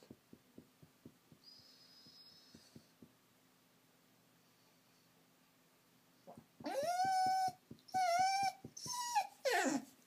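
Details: Female Vizsla gun dog crying for attention because she feels lonely; after a few seconds of faint ticking, loud high whining cries rise and fall in three drawn-out bursts, with a person asking what the problem is.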